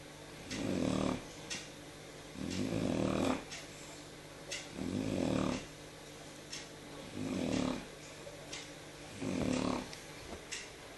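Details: Sleeping Shar Pei Jyo, recorded indoors the evening of 13 November 2014: five even, grating snores roll in every two seconds or so, each a coarse rumble lasting under a second, separated by quiet breathing and faint ticks.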